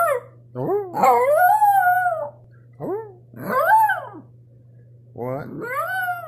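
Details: A pet dog howls indoors in long, wavering, arching calls that rise and fall, several drawn-out howls separated by short breaks, with a steady low hum beneath.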